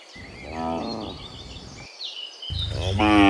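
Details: Cows in the morning heading back from the field to the pen: a short moo, a pause, then another moo rising at the end, while small birds chirp in the background.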